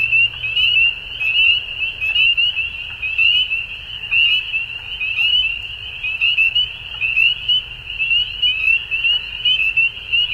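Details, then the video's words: Dusk frog chorus of sharp, rapid chirps and trills forming an unbroken high ringing drone, with uneven swells about once a second and faint scattered clicks over a low background rumble. "Frogs At Dusk"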